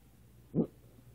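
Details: A Maltese named Sasha gives one brief, muffled, low grunt amid funny noises at home. A single soft burst lasts a fraction of a second, and a voice nearby says "be good girl" and "no".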